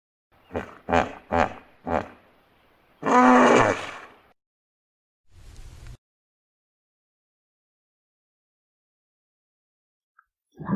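A hippopotamus gives four quick deep grunts, then a long, loud, throaty roar.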